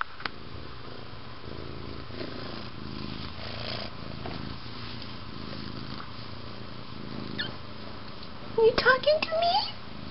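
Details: Two-week-old Siamese kittens and their seal point mother Tasa, indoors while the kittens lick, bite and wrestle; a rumbling low purr pulses for about eight seconds before a woman's gentle, sing-song voice speaks over the end.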